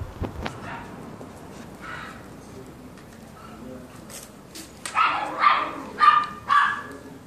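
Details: One of a pair of brown toy poodles, one male and one female, gives a quick run of high, sharp yapping barks about twice a second.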